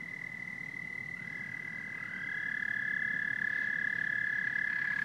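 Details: Chorus of frogs and toads: a constant high trilling drone, with fresh callers joining at a slightly rising pitch after one and two seconds, a soft bed of low croaks, and the whole sound swelling louder halfway through.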